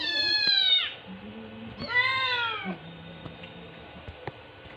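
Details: Fostered rescue kittens, around 6-8 weeks old, pestering for food at lunch in Metro Manila, 23 September 2023: a falling meow, then a second arched meow, followed by quieter background with faint clicks and low hum.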